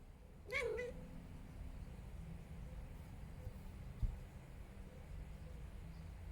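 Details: Domestic cat making a weird call: one short harmonic meow-like cry about half a second long near the start, dipping slightly in pitch, followed by steady low indoor hum and a faint tap.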